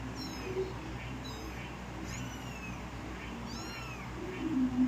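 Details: Kitten giving thin, high meows, each a short arching whine, heard about four times across five seconds over a steady low hum and background noise.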